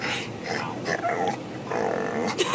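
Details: Charlie, a pet dog on a 4th of July car ride, making odd vocal noises: a run of short moaning, whining sounds rising and falling, with road rumble and a person's voice nearby.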